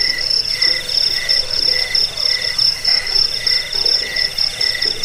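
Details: Crickets chirping, offered as a sound for driving away rats, lulling to sleep and tutoring songbirds; shrill high pulsed trills overlap with a lower chirp repeated in short bursts roughly every half second, forming a steady dense chorus.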